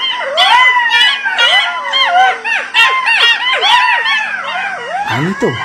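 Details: At dusk in open fields, a pack of jackals roaming the area runs in to about 20 feet from the recorder. They howl together in overlapping, rising-and-falling wails and yips, after earlier distant calls that swelled and faded in volume.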